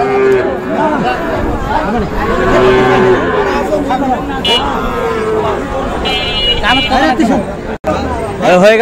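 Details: Sahiwal bull calves bought by a farmer in Kushtia, Bangladesh, on Friday 9 June: drawn-out lowing moos rise above constant crowd chatter and nearby voices, with several callers overlapping amid busy outdoor bustle.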